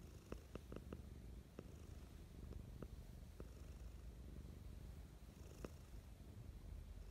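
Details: Mischa, a pet cat, purring affectionately in the morning: a steady low rumbling purr throughout, with a few soft clicks and ticks scattered over it, recorded close up indoors.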